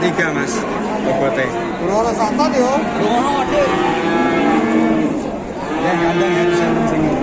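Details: Mooing cattle at a market: wavy, harmonic lows overlap one another, a long quavering call early on, amid a constant hubbub of people talking.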